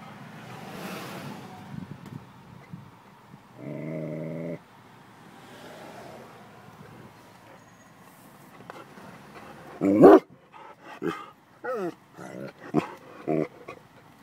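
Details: Vizsla dog getting animals moving at Yellowstone; after a quiet stretch with faint voices and a brief steady engine-like hum, a run of sharp, loud barks comes in the last four seconds, spaced irregularly.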